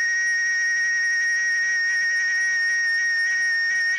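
A cicada sings a loud, steady, unbroken whine with a high ringing overtone.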